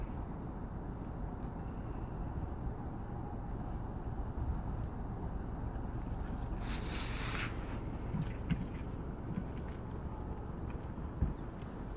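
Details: Steady low outdoor rumble like wind or a passing vehicle, with a brief bright hiss near the middle and faint scattered clicks, no animal voice standing out.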